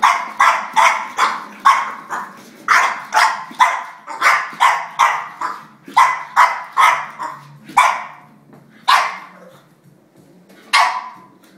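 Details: French Bulldog, angry and fighting with a drink shaker, lets out a rapid run of harsh, rasping barks, many in quick succession, then slowing to a few spaced barks with pauses.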